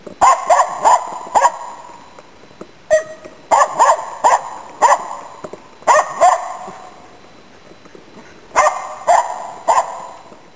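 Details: Finnish Spitz hunting waterfowl and game birds in Inari, Finland, autumn 2010: ringing, high barks delivered in rapid clusters of three to five, each cluster separated by a pause of about a second or two.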